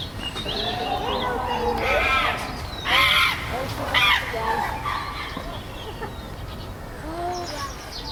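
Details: Chimpanzees on Chester Zoo's Chimp Island, tense after a new baby's arrival, with alpha male Carlos controlling the group; loud, rising hoots and screams come in bursts, with overlapping cries and a busy, noisy background throughout.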